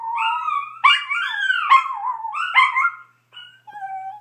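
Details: A Chihuahua howls like a coyote in high, wavering tones that slide up and down, ending in a thin drawn-out wail.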